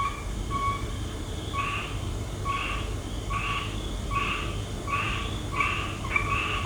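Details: Night chorus of frogs in Laos, short paired calls with a low and a higher tone, repeated steadily about every two-thirds of a second, some calls overlapping, against a constant low rumble.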